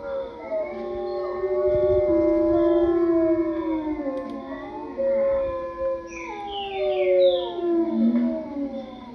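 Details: Several wolves howl in chorus, long tonal voices overlapping, gliding up and down and weaving around each other for the whole stretch; a few quick high chirps break in near the end.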